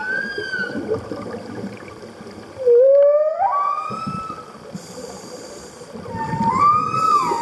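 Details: Humpback whale at Roca Partida on a Socorro trip: drawn-out tonal moans that sweep steeply upward, one loud rising whoop midway and another climbing cry near the end, over bubbly, rushing water noise.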